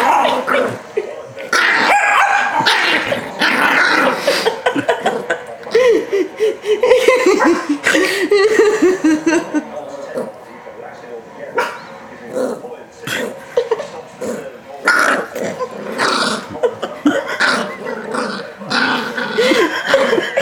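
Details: Yorkshire Terrier Rocky, a pet, squirming while tickled and held against knees, with the household's second Yorkie, Coco, coming to check on the ruckus: bursts of high yips, grumbly barks and wavering whines, louder flurries alternating with quieter spells, a voice faintly behind.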